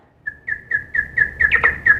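Big brown bat echolocation, lowered to a hearable pitch: short, slightly falling chirps repeated about five times a second.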